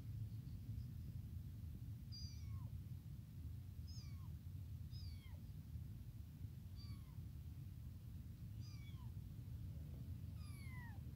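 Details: Newly born abandoned kitten crying nonstop for its mother and milk, about eight high, piercing mews, each falling in pitch, repeated roughly every second over low constant background rumble.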